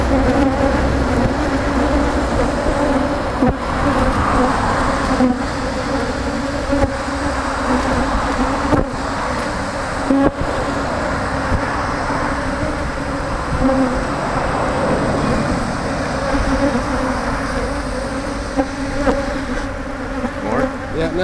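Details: Africanized honey bee colony, angry while its honey is removed: a dense, steady buzzing hum with a low drone and a brighter overtone, running the whole time, with occasional knocks and handling clatter.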